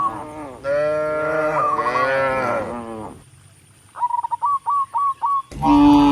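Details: Tame cattle in a large herd head up a country road to the barn, lowing in a long, rich moo. A quick run of six sharp bird chirps follows, then another moo begins.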